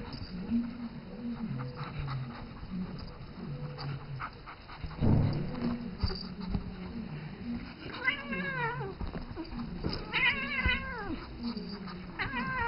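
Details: A seven-year-old female house cat calling to a three-month-old pet ferret she treats as her baby, at home: three drawn-out, wavering meows near the end, each rising then falling, with background music playing throughout.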